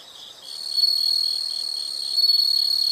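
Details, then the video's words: Insects calling: a piercing, high, unbroken ringing note over a softer pulsing buzz, rising in loudness after the first second and staying steady, with a slight extra pulse near the end. "the sound of insects"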